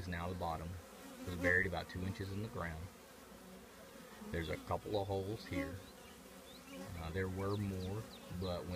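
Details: Honey bees at their old trash can colony produce a low droning buzz that comes and goes in waves, with a few quick pitch-bending fly-bys and a quieter stretch in the middle.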